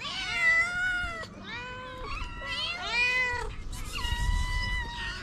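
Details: Hungry tortoiseshell stray cat among many ginger feral cats, meowing to ask for food; a run of loud, drawn-out harmonic meows, some overlapping and rising then falling, over low street rumble.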